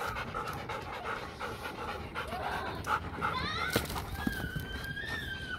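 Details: German Shepherd x Labrador dog panting during playtime: rapid, rough, breathy pants about two per second, with brief whiny tones near the end and faint human speech in the background.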